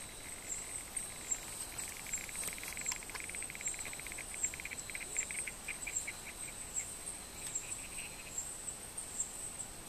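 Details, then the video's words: Soft purring from one of two wrestling male Barrington's tree frogs, a long run of fast, even pulses lasting several seconds and fading out, with a constant shrill insect buzz behind. "Male Barrington's Tree Frogs Fighting"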